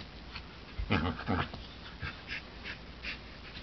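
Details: Loud play between Ember, a black border collie–golden retriever mix, and Henry, a golden retriever puppy of 9 weeks: two strong harsh barking bursts close together, then softer yips and huffs trailing off.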